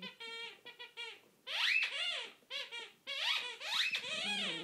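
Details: Chatty pet whippet talking while pestering an Italian greyhound indoors: a run of loud, harmonic, yodel-like whines and groans that swoop up and down in pitch, in bursts of about a second with brief pauses.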